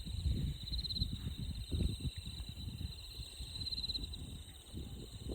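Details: Insects calling beside a clear flowing stream in Shimogo town, Fukushima Prefecture, Japan; a steady high, pulsing shimmer of chirps runs throughout over the constant low rush and splash of water.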